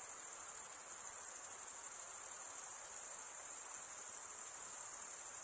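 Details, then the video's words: Continuous high-pitched cricket chirping from males drawing a wing edge across a comb-like row of teeth; an unbroken, even, pulsing shimmer, with faint softer hiss underneath and nothing else heard. "Most relaxing cricket sound for 8 hours"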